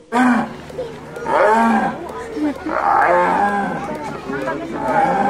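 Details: Big cats of the genus Panthera, a cat family group with five living species whose special larynx lets them roar; deep rough roars and growls rise and fall in several long bursts roughly every second or two.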